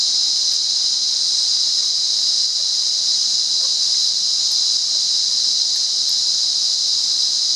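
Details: Continuous piercing cicada buzz from the wild in Monaragala, Sri Lanka, even in volume and pitch throughout, with only faint scattered ticks below it.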